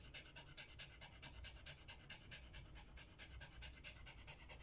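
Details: Worn out from walking, a Samoyed pants in quick, airy bursts, roughly one and a half per second, steady and rhythmic over a faint low hum.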